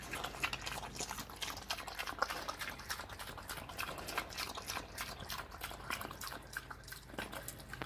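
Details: A hungry pig feeds on slop: continuous wet chomping and smacking, dense clicky bursts of liquid sounds, no other animals clearly audible.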